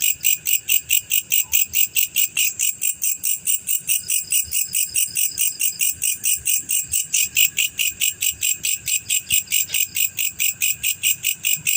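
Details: Steady shrill pulses from a male black cricket, repeated rapidly and regularly for the whole stretch, high and ringing, with only faint low noise beneath.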